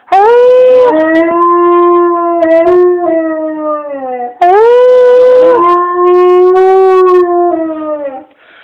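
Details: A dog prompted to howl by its owner gives two drawn-out howls, each starting with a higher rising onset, falling to a long steady tone and trailing downward, with a brief break between them.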